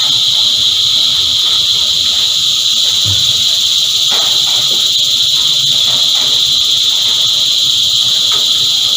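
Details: Many cicadas buzz together in a continuous high, hissing drone with no pauses. A few faint clicks and low murmurs sit underneath.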